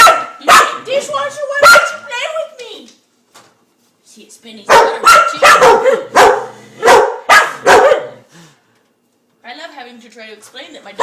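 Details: Female pet dog barking excitedly at a dishwasher's spinning internal spinner, fascinated by it; sharp barks in quick irregular bursts, several in a row, pausing, then another run, with a woman talking to her.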